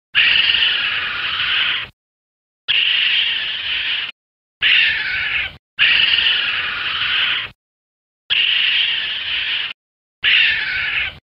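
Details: Raccoon, a masked forest animal of riversides that also lives in inhabited areas: six harsh, high, raspy squealing bursts, each one to two seconds long, separated by short silent gaps.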